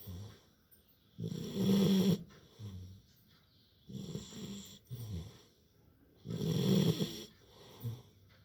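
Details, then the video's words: Loud snoring from a Labrador puppy sleeping after play: deep grumbling inhales in long bursts, the strongest around two and seven seconds, separated by quieter wheezy breaths. "Cute Labrador puppy snoring after playing | puppy snoring loudly while sleeping."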